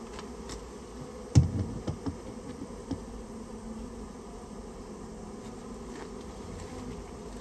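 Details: Buzzing swarm of Japanese honey bees, a rare bee, whose nest in a storehouse is being cleared out; an even low drone under one sharp thump and a few lighter clicks early on.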